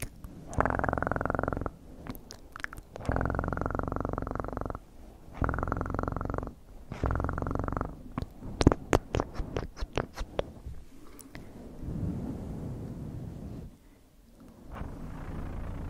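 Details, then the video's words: A cat purrs in repeated bursts of one to two seconds that rise and fall with its breathing, separated by short pauses, with a few sharp clicks between bouts. "ASMR 1 Hour Of Best PURRING sounds in 2024"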